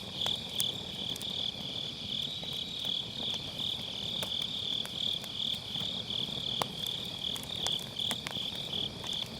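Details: Grass insects on an autumn night beside a campfire in a round fire pit, recorded with an MKE600 microphone using low cut: a steady high, pulsing trill about three times per second, with sharp crackles and pops of burning firewood.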